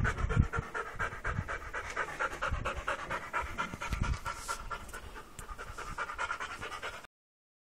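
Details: Restless Labrador Retriever panting fast and steadily the whole way through, breathy rhythmic puffs with a few heavier bursts near the start and around four seconds.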